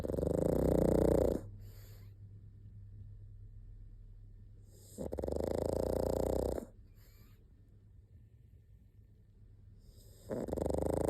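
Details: Three rattling, vibrating snores from a sleeping pug, each over a second long and spaced about every five seconds, with quiet breathing and a low hum between them.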